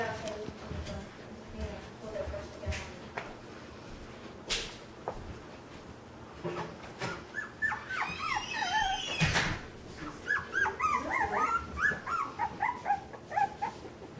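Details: Puppies playing indoors in a busy part of a home, giving a run of short, high, rising whines and squeaks in the second half, over a background of soft rustling and bumping.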